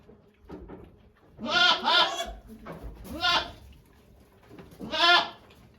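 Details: Okayu, a doe goat at Yoshigake Farm, calling while giving birth to two kids on 3 May 2023 as volunteers watch; three loud, wavering, harmonic bleats, the first doubled, rising then falling, spaced about two seconds apart.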